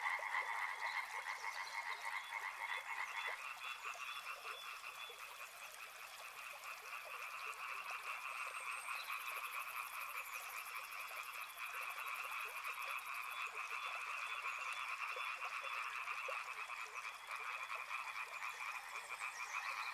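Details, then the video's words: Frogs calling together in a dense chorus, steady overlapping croaks in two bright bands, mid and high pitch, pulsing rapidly with no pause; faint thin whistles and a brief high buzz above. "Frog Sounds | Soothing sounds of river and frogs"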